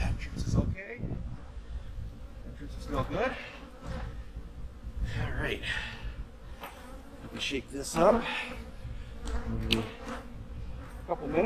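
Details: Bees at honey bee hives in the fall zip past repeatedly, each buzz swelling and fading, over a constant low drone from the colonies.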